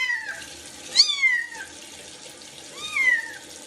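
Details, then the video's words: Kittens meowing during their first bath: three high, falling, drawn-out mews, one sharp and rising before it slides down, over the steady hiss of running water. "مواء القطط الصغيرة مع أول حمام لهم"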